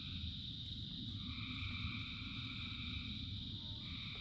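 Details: A frog chorus in the rain, a steady high trill with a second band entering after a second, partly buried under a strong low rumble of falling rain.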